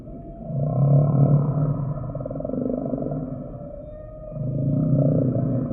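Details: Humpback whale song sample: loud, deep, rumbling pulsed groans in two long swells, with a quieter buzzing moan between them and faint higher overtones.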